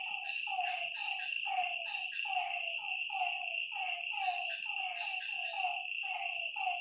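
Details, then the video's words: A chorus of frogs calling at night by a lake. Bursts of short, falling croaks come in quick runs over an unbroken high insect drone. "Lakeside night creatures and frog sounds"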